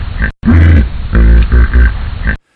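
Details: Individual common hippopotamus wheeze honk, individualized voice of a single hippo; very low, loud grunting honks in three close bursts with harmonic overtones, cut off sharply at the end.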